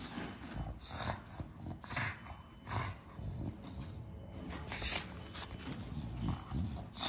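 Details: Bulldog indoors gives loud, rough snorting breaths in bursts roughly once a second, each a broad rasping rush of air with a low growly undertone, running through the whole stretch without pause.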